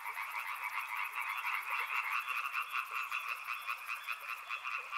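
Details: Frogs in full chorus by a river, rhythmic croaks pulsing a few times per second in two bright bands, accompanied by a high, regularly ticking insect trill that stops shortly before the end.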